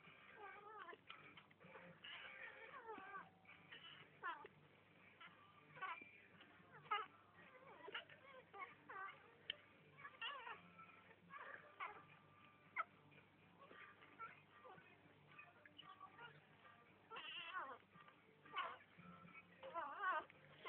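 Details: Five-day-old kittens from a litter, squeaking in a steady stream of short, thin, high mews that overlap and tumble over one another, with soft rustling and shuffling between calls.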